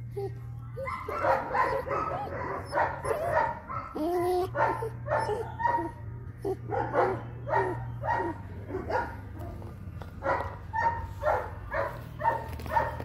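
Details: Eight-week-old long-coated liver sable German Shepherd puppy giving a quick series of short, high yapping barks, roughly two per second throughout, over a steady low hum in the background.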